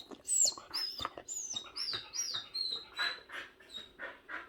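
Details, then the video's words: Jindo dog indoors whining insistently because it needs to poop after a day of diarrhoea from a bad treat; high, thin whistled whines that slide down in pitch, repeated roughly every half second, with a woman's brief voice. ""진짜" 똥 마려운 강아지"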